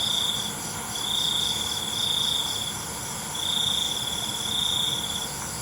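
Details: Crickets chirping at night, heard as sustained high trills lasting one to two seconds with short pauses between, layered on a constant background of high-pitched insect drone.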